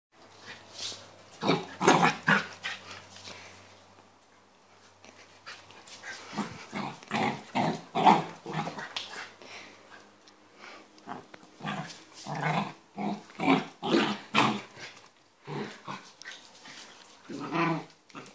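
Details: Pembroke Welsh Corgi puppy making playful growls during playtime while running and jumping at feet with a toy or bone in its mouth; rough, breathy bursts repeated rapidly and unevenly, with brief quieter gaps between flurries.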